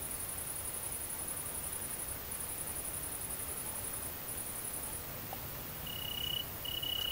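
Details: Great green bush-cricket (Tettigonia viridissima) at mating time in the countryside of central France, 22 August 2016. High, buzzy stridulation comes in long bursts of about two seconds with short breaks. Near the end another insect gives a steady pure whistled tone.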